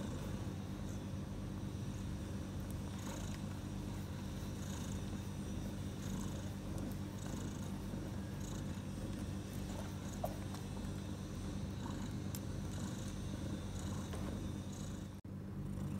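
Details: Mother cat Bella, hours after delivering four kittens (three male, one female) at night, keeps up an even, deep purr for the whole stretch, with light scratchy movement noises and a brief click near the end.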